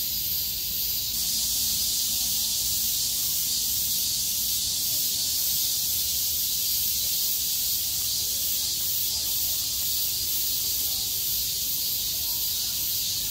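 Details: A dense chorus of cicadas, singing as the sky cleared after heavy rain on 6 August 2020, makes a continuous, high-pitched buzzing drone.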